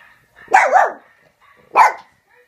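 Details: Peanut, a pet dog, barks while watching videos of other dogs on a laptop: two sharp, loud barks about a second and a quarter apart, the first longer and doubled, with quiet between.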